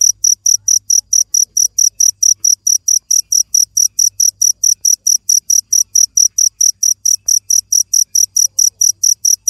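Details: A cricket chirps in a fast, steady series of about four short, high, shrill pulses each second, with almost no other sound behind it.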